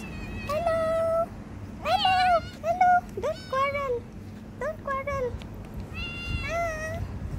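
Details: Street cats filmed in November 2023, ginger and tabby, giving a run of clear meows, some drawn out and level, others short and falling, several animals calling in turn over low traffic rumble.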